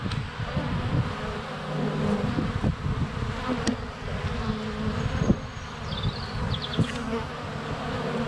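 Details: Honey bees in flight at a hive entrance on a sunny February day, close to a GoPro Hero 7 Black: dense steady low buzzing with sharp thumps of bees landing on the camera, plus brief high bird notes.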